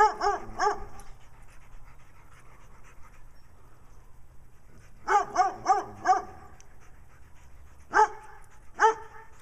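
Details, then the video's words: Attention-seeking brown dog in Wadena, Minnesota, barking while companion Stella, with black eye patches, acts nutty; a cluster of three barks, a long quiet gap, then four quick barks and two single ones. "Stella the Dog with Black Eye Patches acting nutty while Brown Dog barks in Wadena Minnesota."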